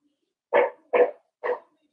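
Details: Blenheim Cavalier King Charles Spaniel puppies from a litter of five, playing with their mother in a home puppy pen, give three short, yappy barks spaced about half a second apart, with quiet in between.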